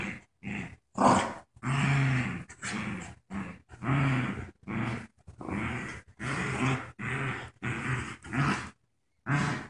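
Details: Joy, a puppy in a diaper whose legs don't work right, growls with her friend Wicket while playing tug of war; many short gruff growls and grunts in quick, uneven pulses.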